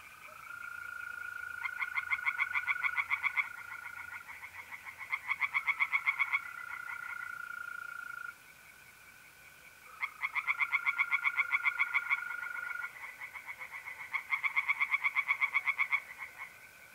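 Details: Tree frogs in a north-east Italian pond on a mid-April night, giving rattling pulse bursts in overlapping bouts separated by brief lulls, accompanied throughout by the continuous even trilling of mole crickets.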